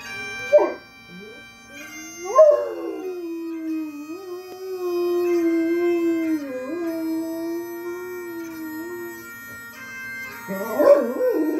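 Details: A 23-month-old female Great Dane gives a long, wavering howl, singing along to steady bagpipe drones played for veterans.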